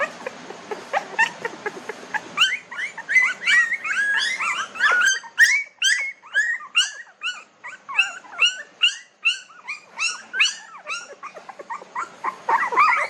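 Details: Newborn puppies, 19 days old, whimper and squeal in a village: rapid high-pitched yelps with bent, wavering tones, coming in dense overlapping bursts several times a second, a brief noisier murmur at the start.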